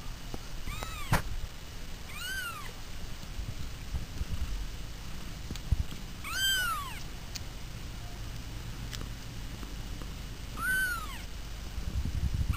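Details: Household cats calling with four separate meows over twelve seconds. Each is short and arching, one rising-falling cry every few seconds, set against a low rumbling background.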